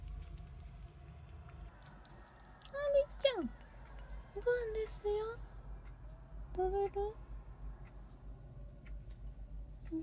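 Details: Domestic cat, one of three cats kept indoors at home, gives three short tonal meows a second or two apart, each with a rising then falling pitch. Quiet room, with soft background hum between the calls.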